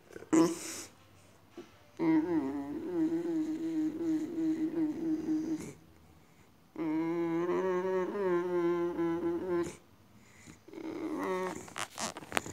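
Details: Indoors, a female Boxer acting strange gives two long, steady, wavering moans, each lasting about four seconds with a quiet gap between them, then short whimpers and sniffs close to the microphone.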